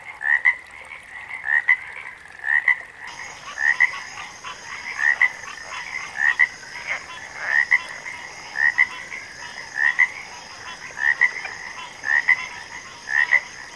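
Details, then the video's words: Frogs in chorus, one giving clear double upswept chirps about once a second over a background of overlapping frog calls; after three seconds a high, steady buzzing drone joins and continues throughout. "Backwater Chorus, & Frog Chorus"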